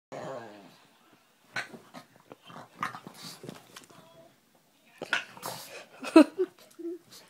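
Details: Pet dog indoors barking and making strange noises at a piece of paper: a low growly whine, then scattered short huffs and grunts, ending in sharper yelps; a person laughs.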